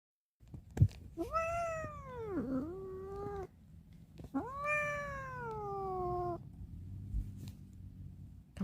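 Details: Indoor cat meowing because it wants to get out: two long, drawn-out wailing meows, the first dipping in the middle, the second falling slowly, with a faint low hum behind.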